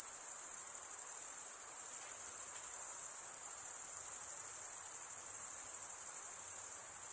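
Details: A steady, piercing trill of many crickets, males chirping by wing stridulation, runs without pause at a constant loudness over low ambient hiss.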